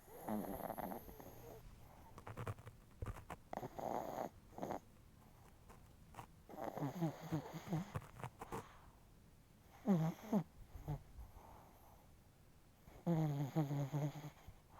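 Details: Chihuahua snoring heavily while its face twitches, producing loud rasping, snorting breaths in bursts of one to two seconds, some ending in squeaky, nasal, rising tones, with quiet pauses between.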